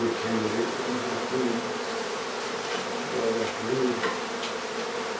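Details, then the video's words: Bees from a hive built inside a house in Aderet, disturbed during its removal. A thick, continuous buzz with wobbling, overlapping tones fills the whole stretch. "Bee Hive in our house"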